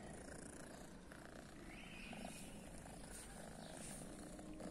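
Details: A blue-eyed female cat on a guarded private property, believed deaf, gives an unbroken low vibrating purr, even and steady throughout, with soft handling noise.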